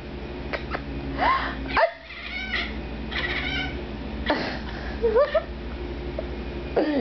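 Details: Indoor domestic cat crying in reaction to its owner's sneezing: short, rising, whiny mews, one near the start and a pair of wavering cries later, between sharp sneeze-like bursts, with music playing and a companion cat present.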